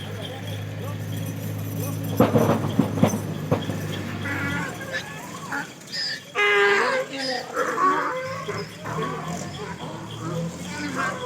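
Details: A big bull and cow meeting: a deep, drawn-out cattle moo (Bos taurus) with sharp bell clanks, followed by voices and more mixed calls.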